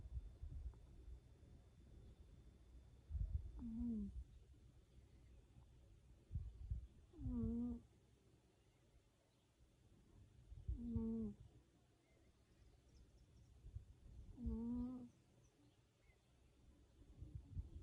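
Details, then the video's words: Sleeping cat snoring in a regular rhythm, with a short whistling, nasal tone on each breath, repeated about every three to four seconds, and soft low breathing rumbles between. "как храпит кот"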